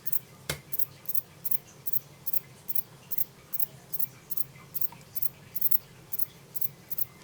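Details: Captive himegisu katydid of the short-winged form, recorded in 2012: crisp, scratchy high chirps about every third of a second, with one sharp click near the start and faint room hum beneath.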